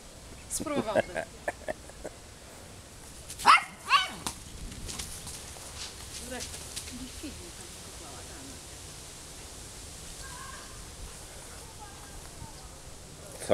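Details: Found Golden Retriever in Wołomin, Poland, playing and chasing a ball: two loud, sharp barks close together near the middle, with people talking throughout and softer scattered noises between.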